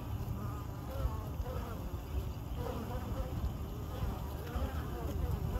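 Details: Honey bees foraging at a wild hive in the hollow of an ancient Osage orange tree along a trail in downtown Greenville, South Carolina; a continuous low droning buzz of many workers coming and going, steady throughout with faint higher hum.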